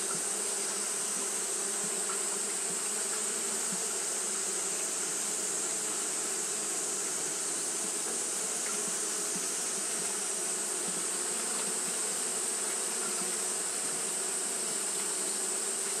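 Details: On a hot day Japanese honey bees keep fanning, producing a long unbroken buzzing drone, many bees at once, with faint flickers of individual wingbeats and a steady hiss above.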